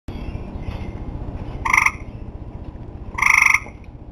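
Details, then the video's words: Tree frogs calling at the end of summer: two loud, harsh, nasal calls with strong harmonics, about one and a half seconds apart, over a steady low background hum. "Tree Frogs Talking"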